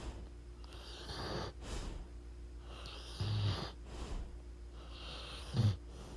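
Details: Sleeping pit bull giving wheezy, snorting snores, three breathy pulses roughly two seconds apart, each ending in a short low rattle, over a faint indoor hum.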